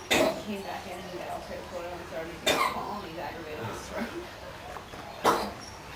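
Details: A male koala with a cold at Featherdale Wildlife Park, Sydney, Australia, coughs three times, sharp harsh bursts a couple of seconds apart, while people talk softly.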